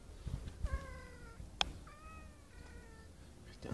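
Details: Tomcat calling to a female cat: two soft, level, drawn-out meows about a second long, separated by a sharp knock, with low background rumble.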